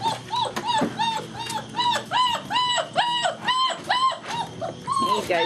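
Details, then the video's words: German Shepherd puppies, some seven weeks and some just four weeks old, playing together at Vom Barron's Pride kennel; a rapid series of high arched whines and yelps about 150 per minute, with a woman's voice in the background. "GSD Puppies getting frisky together!"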